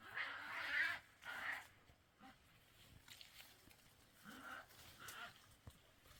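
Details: European badgers fighting, two animals, Vestfossen, Norway, 8 June 2023. Two loud shrill screaming bursts open the recording, then quieter scattered squeals and low growling snarls follow over background hiss.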